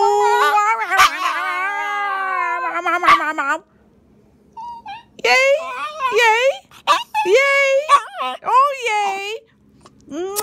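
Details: A Schipperke joining in a celebration with people singing gives long, wavering howls that slide up and down, broken by short yips.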